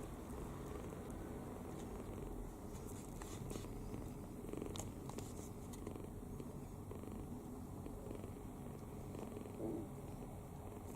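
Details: Open-mouthed sleeping kitten, fully at ease, snoring; a low continuous rumble persists, overlaid by scattered light clicks and rustles.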